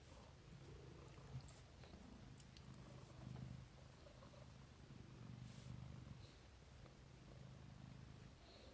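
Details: Domestic cat purring while cuddling: a soft, steady low rumble throughout, swelling slightly in gentle waves, with faint rustling close to the microphone.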